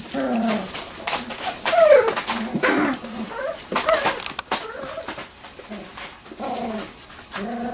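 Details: Three-week-old Wirehaired Pointing Griffon puppies of the M litter at Bluestem Kennels play in a whelping box in a garage, giving scattered short whimpers and squeaky yelps amid rustling and bumping.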